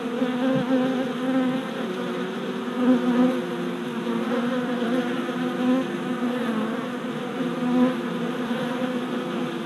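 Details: Orientation flights of worker honey bees at a freshly installed deep hive body, late April 2017; a thick, constant hum of many bees with small surges as nearby fliers zip past the entrance.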